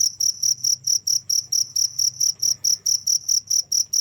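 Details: Cricket chirping nonstop, a loud high-pitched pulse repeated about twice per second in a steady, even rhythm, with a faint low hum underneath.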